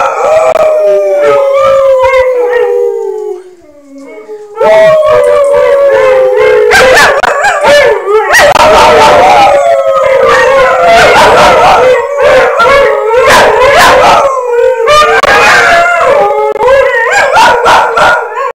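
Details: Pebbles, a puppy, learning to howl by listening to Alaskan Malamutes: long wavering howls sliding downward, joined by overlapping yips and higher quavering howls from several dogs in a loud chorus.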